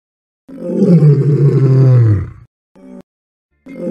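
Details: A lion gives a deep, rumbling roar that sinks in pitch, followed by short grunts, with music.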